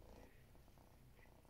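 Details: Male domestic cat purring at breakfast, hoping to get leftovers: soft, steady low rumbling purr, continuous and even throughout, close to the listener indoors.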